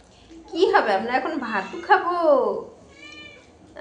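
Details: Domestic cat giving a couple of drawn-out meows, the second one rising then sliding down, heard indoors over a human voice talking nearby.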